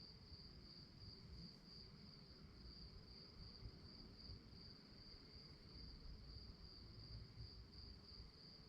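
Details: Crickets sound at night as a constant, finely pulsed high buzz, steady from start to finish, over a murmur of low background noise.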